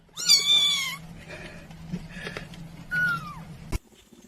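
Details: Domestic cat giving two meows: a long, bright meow bending slightly downward, then after a quiet gap a shorter one sliding down in pitch, with faint background murmur and a sharp click at the end.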